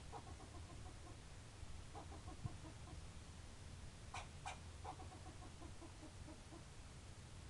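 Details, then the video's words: Squirrel bark series: soft harmonic notes repeated in short runs, broken around four seconds by two sharp cracking chips, then more steady repeated notes trailing off, with low-frequency background rumble throughout. "Barking Squirrel"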